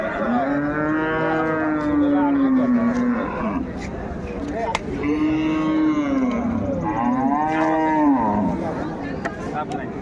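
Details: At Ambari cattle market, where dairy cows and calves of improved breed are traded, 21 May 2024, a cow gives three long, even moos, each about three seconds with slight downward bends, amid a hum of voices.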